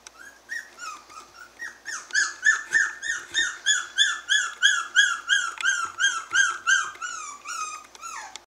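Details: Five-week-old Havanese puppies giving a rapid series of high, whiny yelps, about three per second, each sliding downward and rich in overtones, kept up steadily for eight seconds.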